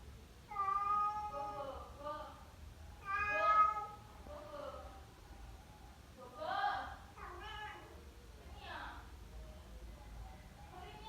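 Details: Indonesian village cat (kucing kampung) giving several short, bright meows in uneven bursts, with softer, blurred vocal sounds in between against a quiet room background.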